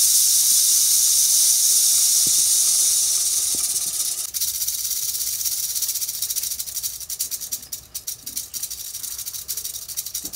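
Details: Prairie rattlesnake rattling: a steady, dry, hissing buzz for about four seconds, then a weaker, flickering rattle with uneven bursts until the end.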